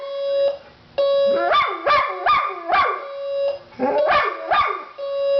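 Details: Pet dog Oscar, set off by an alarm clock, gives a series of sharp, rising-then-falling howling barks in quick bursts between the alarm's sustained electronic beeps.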